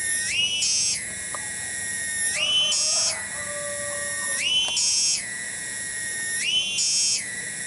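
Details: One cicada (tonggeret) singing in a village garden in Kampung Bunder, Cibening, Bungursari: a loud shrill buzz that swells upward into a harsher, higher phrase about every two seconds, with a faint lower tone in the background.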